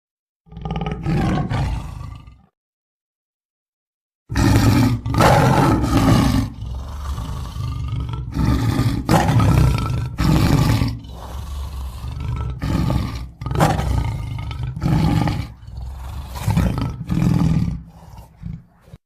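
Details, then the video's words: Tiger roaring: one deep rumbling roar, a two-second silence, then a run of heavy, harsh roaring bursts about once a second, rich in low rumble. "صوت النمر " _ Sound of tiger"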